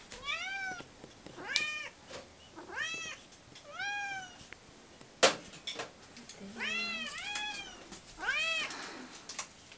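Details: Domestic cats asking for their breakfast meow repeatedly, about six short arched meows rising then falling, spaced one to two seconds apart, with sharp clatters and tapping in a small room.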